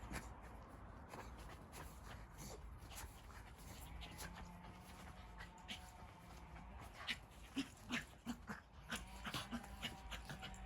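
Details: Several puppies rolling around and playing together; thin high whimpers and short yips come in bursts over scuffling, clicking paw and body noises, growing louder toward the end.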